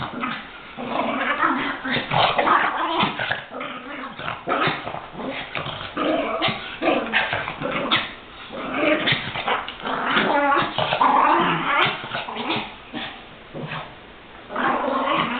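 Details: Several pet Chihuahuas play-fighting, attacking each other as they often do; dense, continuous snarling growls mixed with sharp yips and short barks, rising and falling in loudness throughout.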